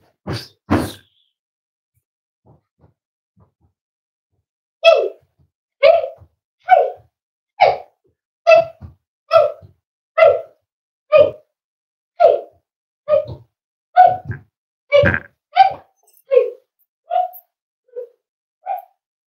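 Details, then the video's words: Cavalier King Charles Spaniel puppies almost 8 weeks old, raised in a family home: two sharp sounds, a pause, then a steady run of short, bright yelps repeated roughly once a second for about fifteen seconds, indoors and otherwise quiet. "Cavalier Puppies Live: Almost 8 Weeks Old!"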